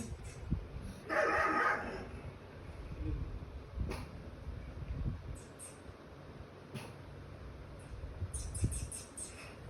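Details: Pet pug barking fiercely in a jealous reaction to pugs and other dogs shown on TV, treating them as intruders in its territory; a loud burst of harsh barks early on, then quieter thumps, clicks and background TV sounds.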